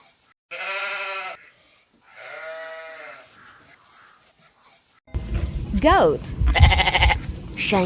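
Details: Sheep bleating twice, each a wavering nasal cry lasting about a second, the second softer, followed by a stretch of lively music and voices.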